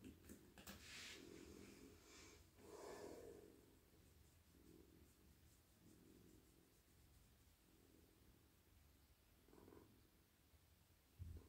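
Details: Very soft, cosy male cat purring in a lap while stroked on the head, neck and body at night; low throbbing purr rising and falling in slow breath cycles, rustling strokes early on, then quieter purring to the end.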